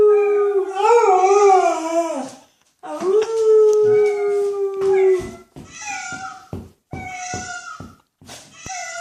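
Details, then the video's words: Pet dog howling indoors in reaction to animal noises: a sustained wavering howl, a second long steady note, then shorter broken tonal calls and clicks, with other animal noises mixed in. "Dog howling to animal noises"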